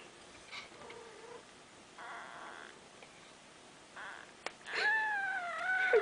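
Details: Mother cat with day-old newborn kittens nursing in a snug box; soft faint squeaks early on, then a loud drawn-out wavering mewing cry near the end, with a brief click and a woman's voice speaking Swedish.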